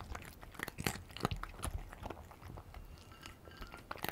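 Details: Cat crunching Dreamies cheese-flavour dry food up close: rapid, uneven series of crisp bites and chewing clicks, roughly two or three per second, in a quiet room.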